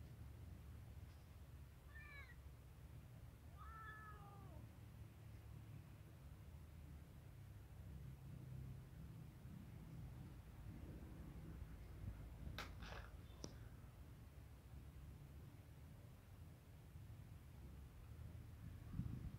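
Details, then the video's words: Hungry kitten beside a white female cat and a male cat that are eating: two short, bright meows early on, each bending downward, then only a low steady hum and a few sharp clicks for the rest. "hungry kitten is present in the middle of a white female cat and a wise male cat who are eating"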